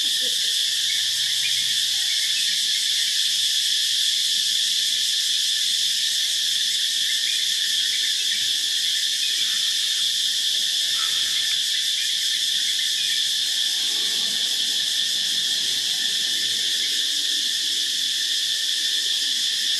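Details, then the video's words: Phuket cicadas calling loudly in the morning, a continuous piercing whine held evenly throughout, with a little faint low background sound beneath. "Cicadas loud Phuket morning"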